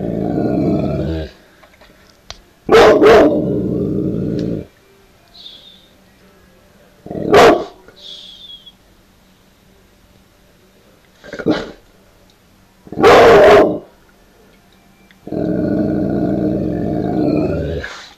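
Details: Puppy on guard barks loudly: harsh, broadband barks and longer rough bark-growl stretches spread across eighteen seconds, separated by quiet gaps.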